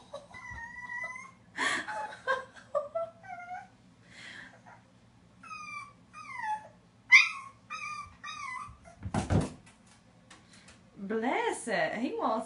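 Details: Peanut, a black and white Boston Terrier puppy, whimpers beside a large empty bathtub, eager for a bath: steady high whines, some wavering and falling, broken by loud bumps, scrabbling and a final crash indoors.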